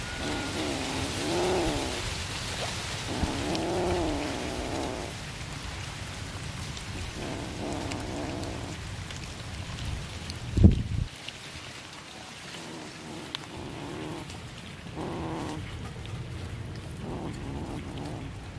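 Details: Cat meowing while fed fish: several long, bending meows spaced a few seconds apart, fading later, with a sharp knock near the middle and constant broadband hiss throughout.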